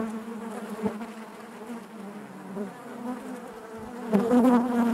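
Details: Many honey bees buzzing inside the hive, a steady low hum with harmonic bands, fairly even at first, then growing louder and higher as a bee passes close in the final second.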